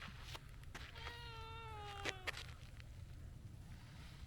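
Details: Stray tabby cat that could not wait its turn to be petted, calling out: one drawn-out, clearly voiced meow lasting about a second and a half, steady then slightly falling, with soft clicks and low outdoor rumble behind.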